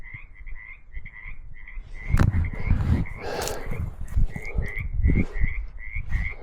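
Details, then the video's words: Frogs at a pond on rural California land call in a steady chorus of short, raspy croaks repeated several times each second. "I hear frogs over there."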